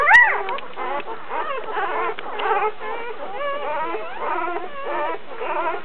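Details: Litter of two-to-three-day-old puppies, continuous overlapping high whimpers and squeaky yelps, wavering up and down, several pups calling at once.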